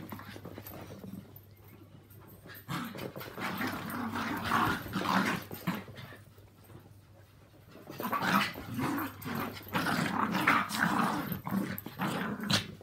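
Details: Two Yorkshire Terriers, Walt (three years) and Milly (four years), and Harvey, a two-year-old Maltese, live together and have a mad half hour of play. Quiet opening, then bursts of rough, rumbling growls and grumbles in two long bouts.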